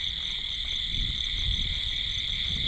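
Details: Night insects called crickets calling at a village stream after the first rain, the callers not yet seen: a steady, unbroken high ringing trill with several bright layered tones, over low rumbling background noise.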